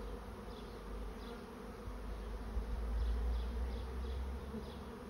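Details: Swarming honey bees entering a swarm trap, heard as a continuous deep hum with a low rumble swelling in the middle and a few faint high chirps above.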